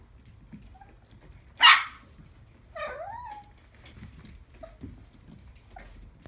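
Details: Silver puppy recorded on January 4, 2017, giving one sharp, short bark followed by a whiny upward-then-falling yelp, with quiet faint room sounds between.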